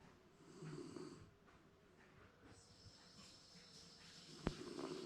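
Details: Napping Shiba Inu at home, said to be dreaming, gives a soft throaty snore followed by quieter rasping breaths; a thin whistle and a sharp click break in near the end.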